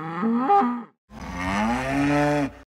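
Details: Zebu, a domestic farm animal, lowing in two parts: a short, wavering nasal call that bends upward midway, a brief pause, then a longer, steady, harmonically rich moo held for about one and a half seconds before cutting off.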